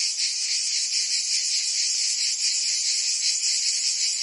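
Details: Cicadas singing on a summer day in Provence, France: a dense, continuous high buzzing drone that fills the whole clip at steady loudness, with faint rhythmic pulsing and no other clear sounds.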